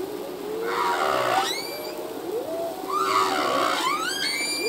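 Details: Humpback whale song by a male, part of a full-length recording: two swelling cries that break into fast rising whistled sweeps with stacked overtones, about two seconds apart, with low moans beneath.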